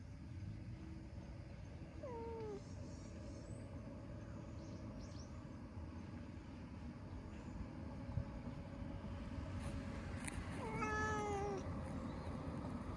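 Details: Ginger tabby stray cat that loves being stroked, enjoying a massage: two short meows several seconds apart, each starting high and sliding downward, set against a steady low rumble.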